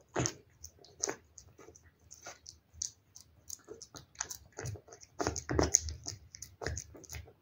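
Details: Wet-food meal for a cat: separated gulps and sticky, wet chomps spaced by brief pauses, turning into a quicker flurry of lip-smacking near the end, heard up close indoors.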